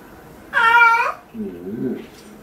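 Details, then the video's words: House cat during a claw-trimming session, one loud, bright meow lasting about half a second, followed by a low, murmuring human voice. "고양이 발톱깎이기"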